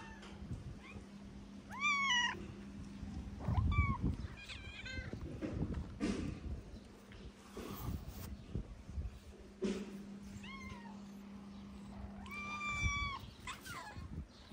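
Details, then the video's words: Skinny stray calico cat in Morocco meowing loudly because she is hungry: several rising-falling harmonic meows spaced a few seconds apart, with a steady low hum and a voice calling to her. "The skinny calico cat meowed loudly because she was hungry."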